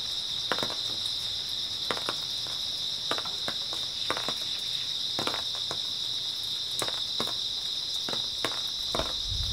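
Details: A constant high insect trill from grass insects fills an early autumn night, unbroken throughout, while scattered dry clicks and taps sound about every half second to second.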